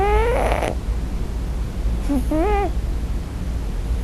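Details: First-night Scottish Fold kitten calling for its mother while asleep: a breathy, rough cry followed by a faint broken whimper rising into a short tonal mew, low hum throughout.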